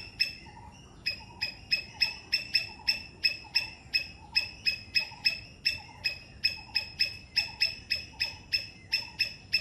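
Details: Sri Lankan three-striped palm squirrel giving a long run of sharp, high chipping notes, steady at about three per second with a short gap near the start, over quiet background hiss.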